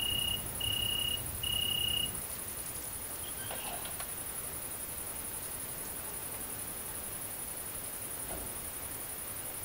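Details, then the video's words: An unbroken shrill, very high trill from a great green bush-cricket near mating in the central French countryside, August 22, 2016; three short mid-pitched tone bars sound in the first two seconds, then only the steady high buzz with faint clicks. "GRANDE Sauterelle Verte/Accouplement/Tettigonia viridissima"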